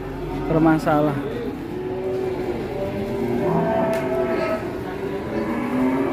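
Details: Qurban sacrificial cow on a rampage, sending people into a panic: a long, low, steady moo drawn out over several seconds, mixed with human voices and the hum of vehicles.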